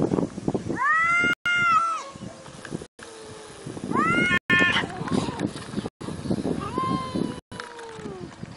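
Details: Cat meowing three times, each a drawn-out call that rises then falls in an arch, spaced a few seconds apart over a low rumbling background murmur.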